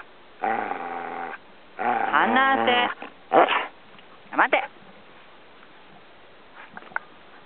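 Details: Samoyed teasing its owner at a campsite at Shobudani Pond Park, giving two drawn-out, harmonic grumbling growls with wavering pitch, then shorter yelping rises and faint chatter.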